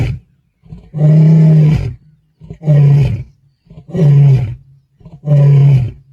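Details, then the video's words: Male lion in Kruger, South Africa, 8 December 2025, roaring to call his brothers; a steady series of deep, booming grunting roars, four heavy bursts roughly every 1.3 seconds, each low and resonant with brief breaths between. "Black Dam Male Lion Roaring | calling his brothers"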